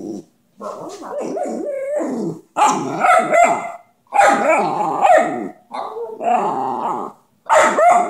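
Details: Dante, a dog known for 'talking', produces five separate whiny, howl-like utterances about a second long each, with bending pitch and some rough growly edges, spaced by brief silences.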